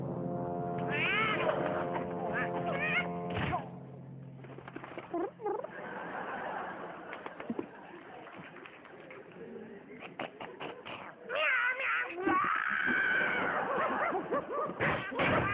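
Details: Cat giving long, loud wavering meows late in the stretch after a quieter middle with clicks, a steady hum and faint voices at the start.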